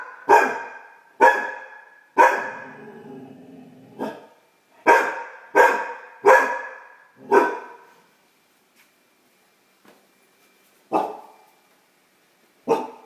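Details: Great Dane puppy, female, barking at her own reflection while learning to bark; a run of quick, punchy barks with a low whine between, then sparser single barks after a quiet stretch.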